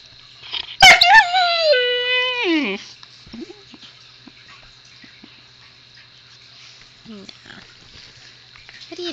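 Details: Zoey the husky puppy, a little talker, answers her owner with one drawn-out, wavering woo that bends downward over about two seconds, followed by soft grumbles and the owner's quiet voice.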